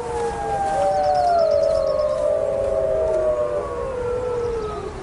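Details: Gray wolves of a pack howling on a mountainside, heard by a lone male who recognizes his family's voices; several long, overlapping, wavering howls slowly sliding down in pitch, sustained throughout.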